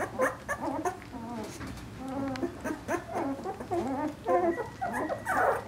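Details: Two-week-old Vizsla puppies, a large litter born 20 February 2012, giving a chorus of warbling, quavering whines and squeaks, short wavy cries repeated about once a second from several pups at once.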